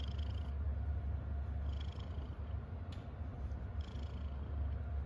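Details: A happy house cat purring: a constant deep vibrating drone, with a few soft, high squeaks and a small click over the rumble.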